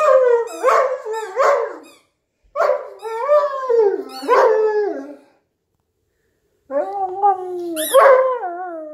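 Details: Hugo, a Newfoundland dog lying lazily on a couch while playing with his squeaky toy, gives long wavering groans and moans in three drawn-out phrases, falls silent, then resumes with a sharp high toy squeak among the grumbling.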